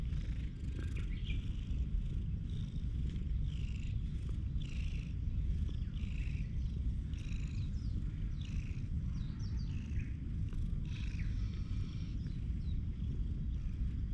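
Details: Stray cat purring while it rubs affectionately against a person's legs, recorded on a GoPro HERO8; a continuous deep, even rumble throughout, with light intermittent higher chirping sounds in the background.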